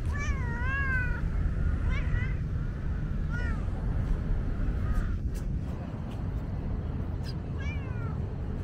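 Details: Tabby cat, a female that dislikes petting, calls out from thirst on a hot day; two long wavering meows at the start, then fainter short meows, with steady low traffic-like rumble behind.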